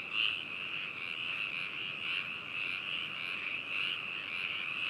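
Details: Frog chorus in Hakushu, Hokuto City, Yamanashi, Japan, recorded binaurally on 4 May 2018: an unbroken, even high trill from many frogs blending together, with little rhythmic variation.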